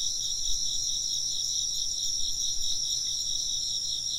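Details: Dense high insect chirping, a shimmering, rapidly pulsed trill from many callers, steady throughout, with faint low rustles beneath.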